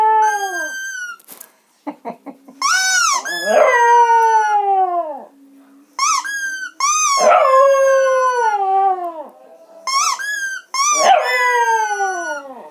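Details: Dog howling: a few quick yips, then three long, loud howls, each starting high and sliding down in pitch over one to two seconds, with brief gaps between them.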